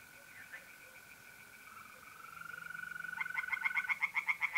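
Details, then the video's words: Tree frogs calling from a pond at night in mid-April in north-eastern Italy. A steady mole cricket trill runs first, then a loud, rapid series of harsh croaking pulses builds up over the last second and a half. "relaxing singing tree frogs in pond"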